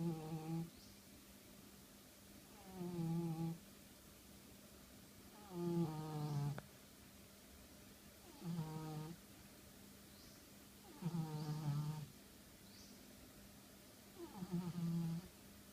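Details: Indoors a sleeping pet cat snores steadily, around seven low rumbling snores roughly every two to three seconds, some with a rising whistly edge, against a constant quiet hum.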